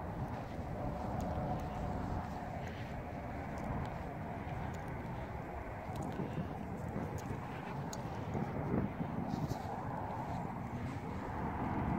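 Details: Outdoor urban ambience of low traffic rumble with faint distant voices and scattered clicks, no animal voice present.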